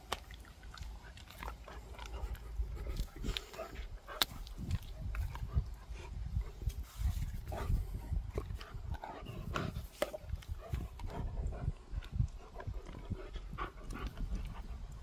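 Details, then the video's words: Dog called Gorlock The Destroyer grunting and panting during eating and play; steady low grumbling with repeated snorts, frequent sharp clicks and mouth noises spread over the whole stretch. "Dog ASMR | Grunting, Panting, Eating, Playing"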